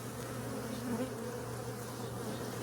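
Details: Western honey bees buzzing at a giant hive packed into every square inch of a wishing well, during removal by a beekeeper using smoke; a steady low drone with a constant hum throughout.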